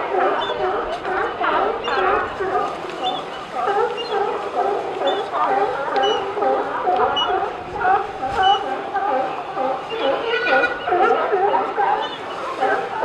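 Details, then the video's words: Many sea lions at Pier 39 keep up a continuous barking din. Wavering, nasal honks overlap densely, some louder barks standing out near the start and around the tenth second. "Sea lions at Pier 39 barking and sneezing"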